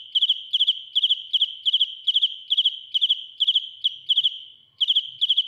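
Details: Field cricket (dế mèn) singing loudly up close: sharp chirps of three to four pulses, repeated about twice a second in a steady rhythm, with a short pause near the end and no other notable sounds.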